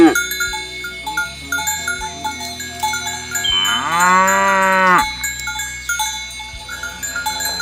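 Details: Cattle walking to the field in the morning: a single long moo rising then holding steady for about one and a half seconds, amid constant rhythmic cowbell clanks repeating roughly every second.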